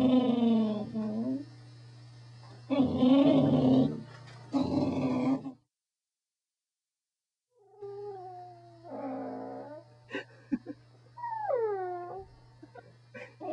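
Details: Corgi 'talking' with moaning, howl-like vocalizations: long wavering tones, then rising and falling yodel-like whines and a few short yips, over a constant low hum.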